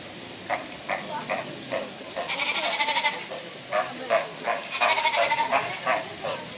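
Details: Captive sea lion pup at Prague Zoo bleating in short nasal bursts, several longer harsh wails among them, at an uneven pace against steady zoo background noise.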